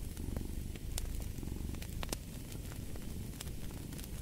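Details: Continuous low, throaty purr of a cat, evenly pulsing and close, while a crackling fire adds occasional bright snaps in the background.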